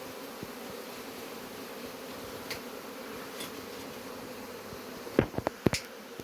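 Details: Honey bees buzzing while a hive is being removed: a steady, low droning hum throughout, with a few sharp knocks and clicks near the end.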